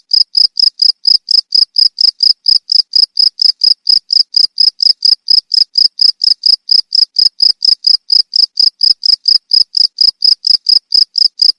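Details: Cricket chirping in a steady, rapid train of bright, high pulses, about four every second, evenly repeated throughout against silence.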